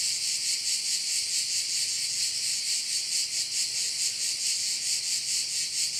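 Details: Crickets by a bay on Korčula, an intense shrill buzzing chorus throbbing a little over twice per second, with a faint low hum in the background.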